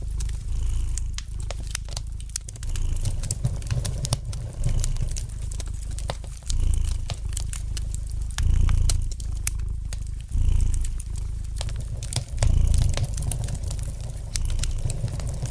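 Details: Domestic cat purring by a crackling fire: a deep rhythmic rumble swelling roughly every two seconds with its breathing, scattered wood pops and snaps above it.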